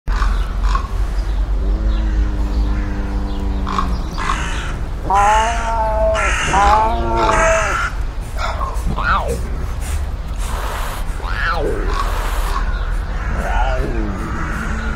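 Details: Sand cat in nature giving a series of harmonic, nasal calls: a level, drawn-out note near two seconds, then several arched, rising-and-falling cries, followed by shorter swooping notes, over a steady low rumble of wind.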